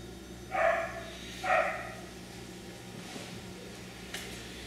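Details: Two short, clear puppy barks about a second apart from an F1b Cockapoo (3/4 Miniature Poodle, 1/4 Cocker Spaniel) at Dyer Farms, followed by quiet with a faint click near the end.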